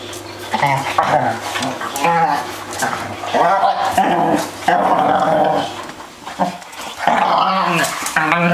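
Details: Three pet dogs playing together noisily, trading overlapping harmonic yowls, whines and rough growls in loud bursts that barely pause across the whole stretch.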